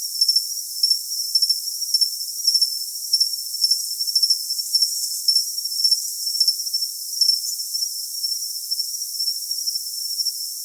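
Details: Cricket calling in a steady, high-pitched continuous trill, overlaid by brighter short chirps in doubled pulses roughly twice a second; no low sounds, nothing else audible.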